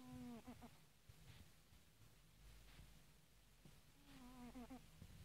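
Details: Asleep and snoring, a house cat gives a short, humming, nasal snore that breaks into quick stuttering pulses. After a quiet pause of about three seconds, a similar wavering snore follows over a faint low background hum.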